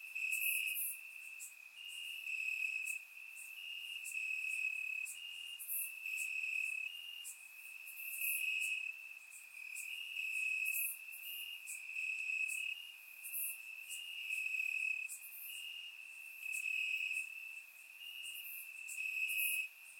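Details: Crickets chirping in grass on a warm summer night in Bulgaria, captured with a surround microphone: a steady high trilling band pulses in long waves, with brighter, higher insect buzzes layered above throughout.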